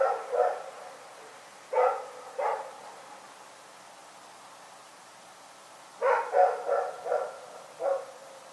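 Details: Night-time barking from Rex the dog at Pyrga: scattered single and paired barks, a quiet gap of several seconds, then a rapid burst of four barks and one last bark, all clear over a still, quiet background.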